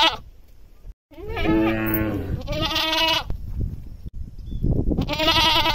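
Loud goat bleats come in a rapid series, each one harsh and quavering with a strained, scream-like tone. Some calls rise and fall in pitch, and brief gaps of silence separate the bursts.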